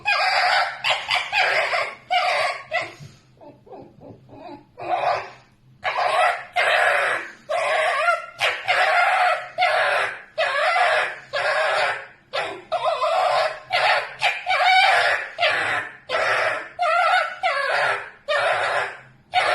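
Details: A pet red fox screaming while asleep: loud, raspy, broadband shrieks in a rapid, uneven series, about one a second, with a brief quieter stretch near the start.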